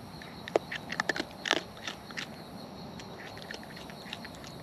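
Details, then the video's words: Close-up wild raccoons eating, with a flurry of crisp, clicky crunching bites bunched in the first two seconds, then fading to sparse soft chews over quiet background. "Wild Raccoons & ASMR Chewing Sounds"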